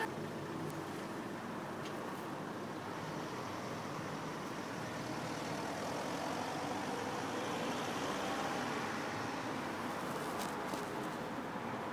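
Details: Steady roadway traffic rumble fills the scene throughout, with no animal voice standing out above the constant urban noise.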